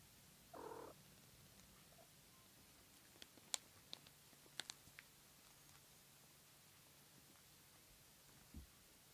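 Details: A three-day-old black female kitten, the only survivor of a litter of four, dreaming indoors: a faint, steady, low purring hum runs through the middle, with a short higher squeak near the start and scattered soft clicks.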